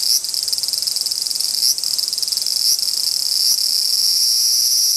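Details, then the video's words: Large brown cicadas in an apparent territorial dispute: a loud, continuous sizzling buzz, very high-pitched and dense, pulsing slightly, with brief dips and surges every second or so. "アブラゼミの諍い（Dispute of large-brown-cicada ）"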